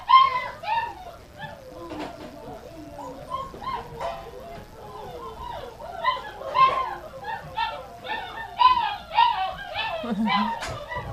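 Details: Dogs in a kitchen being fed gruel, January 20th, 2017, while they need to learn to wait their turn. A loud chorus of overlapping yips, whines and short howls comes roughly twice a second, with speech and music.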